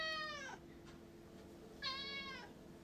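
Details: Indoor domestic cat, apparently wanting to head back outdoors, utters two meows about a second and a half apart, the first sliding down at its end, the second brighter and falling gently, over a low steady room hum.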